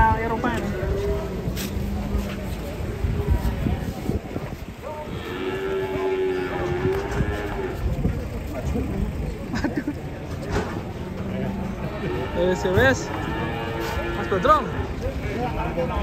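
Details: Giant European-class cattle being unloaded from a truck: several deep, drawn-out lowing moos rise over steady engine rumble, with background music and voices throughout.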